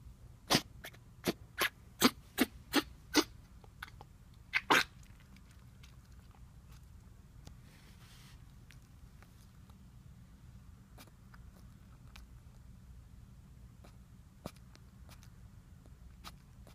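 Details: Female 12-week-old Jack Russell Terrier puppy coughing while trying to go to sleep. She keeps this up for an hour or more until comfortable. A quick run of about eight sharp, dry bursts fills the first five seconds, followed by near-silence with a few faint isolated clicks.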